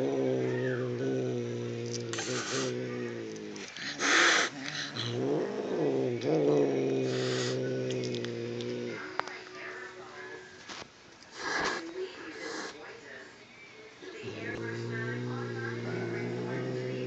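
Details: An angry adult domestic cat directed at a kitten: long, low, steady growls lasting several seconds each, broken by sharp hissing spits and a rising yowl near five seconds.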